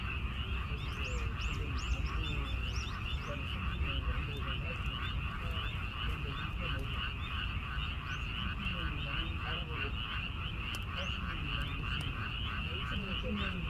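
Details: Frogs calling beside a weekend-farm vegetable garden, heard while a snail sits on red chicory; a dense, steady pulsing chorus of many frogs with rapid trilled notes, plus low rumbling background noise.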